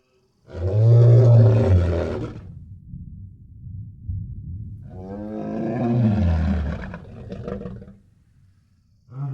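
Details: Powerful lion roar in its natural habitat: a deep, booming bellow, a lower rumbling grunt between calls, then a second long, rough roar that trails off into low grunting.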